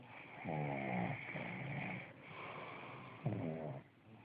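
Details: Pug dog snoring indoors: two rattling, throaty inhaled snores, the first longer and wavering, the second shorter and rougher, with a quieter gurgling breath between them over a steady background hiss.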